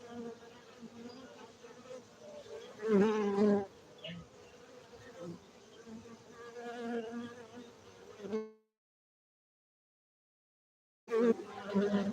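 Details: Honey bees at a beekeeping site in Bener Meriah, Gayo, Aceh, Indonesia: a steady droning hum with a low fundamental and stacked harmonics, louder buzzing bursts as bees pass close, then a sudden silence before the hum returns.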